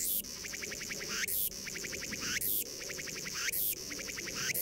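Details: Cicada crying: loud buzzing phrases roughly every second, each a bright pulsed rattle with a dense, sharp high-pitched burst at its end, repeating steadily in a continuous chorus.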